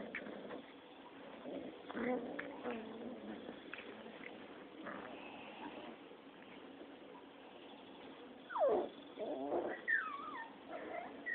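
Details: Rottweiler puppies, six weeks old, fighting and playing together, give low, scratchy growls broken by sharp squeaky yelps and rising whines, with soft scuffling between the bursts.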